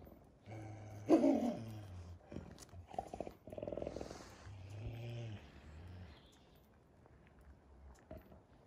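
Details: Wolves kept at the zoo in Järvsö, Sweden, living outside a hotel, give low, harmonic, moaning growls in three drawn-out bursts, each lasting about a second, with a louder rasping peak near the start and quiet pauses between.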